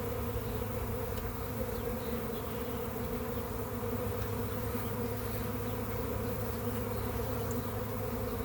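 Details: Honey bee swarm just dumped into a hive during a back-yard capture, a loud, dense, unbroken drone of many wings, low and even in pitch, steady for the whole stretch with no other sounds.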